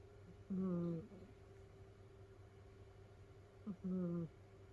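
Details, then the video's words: Snoring from a sleeping house cat in a multi-cat home where the cats pile together and Mimi dozes through peeping at her ear. Two short, squeaky, tonal snores about three seconds apart against a quiet humming room. "だーれだ？猫のいびき who?snoring cat."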